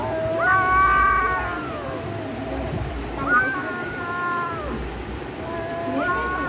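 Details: Cats facing off in a fight, giving long drawn-out harmonic yowls, three wavering calls that rise then slowly fall, spaced a couple of seconds apart over a steady low background hum.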